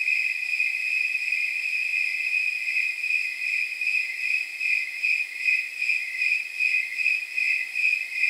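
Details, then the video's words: Snowy tree crickets at night, roughly 79 degrees by their chirp count, giving a high, bell-like chirping. It steadies into evenly spaced pulses, about two and a half per second, over a faint constant hiss of fainter insects. "Snowy Tree Crickets 10 Hour Sleep Sound"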